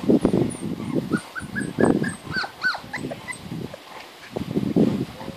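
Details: Labrador/Golden Retriever cross puppies, 36 days old, whine in thin, high, wavering notes amid soft scuffling and yips while trying to climb three stairs to their mother.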